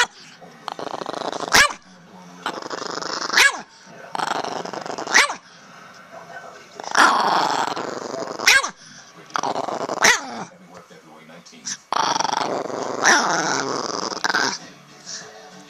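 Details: Gucci, a recently adopted pet dog, growls while his mouth is held closed, which he hates. The growls come in rough, muffled bursts of one to two seconds, separated by sharp clicks, with people talking over them.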